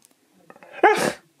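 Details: Pet Husky indoors, arguing about food and asked to say please for a biscuit, gives a soft lead-in then a sudden loud, harmonic, howl-like yelp with a raspy edge lasting under half a second.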